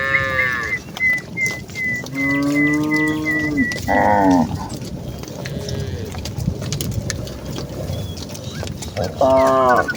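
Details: Cattle herd with cows and calves returning to the farm barn: several low, droning moos, one rising into a louder bellow, while a thin, high whistled note repeats in short steady dashes in the background.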